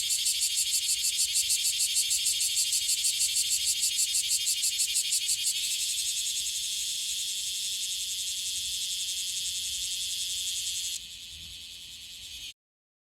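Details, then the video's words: Bear cicada from Okinawa, a frequent caller, first throbbing in fast regular pulses, then smoothing into a steadier high hiss, dropping sharply in volume near the end before silence. "このクマゼミはよく鳴く 沖縄の蝉 Cryptotympana facialis セミの鳴き声"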